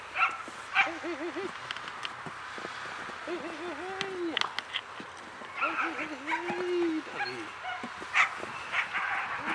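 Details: German Shepherd puppy playing fetch; high whimpering whines in short wavering bursts repeated several times, alongside a woman's excited praise and bright squeaky toy-like chirps.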